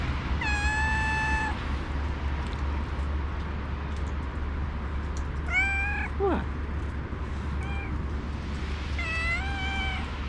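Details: Stray calico cat, female, outdoors after a snowy day while being fed, meowing loudly as if trying to say something; a long flat meow, then a quick rising-falling meow near six seconds and more meows around eight and nine seconds, with steady low hum.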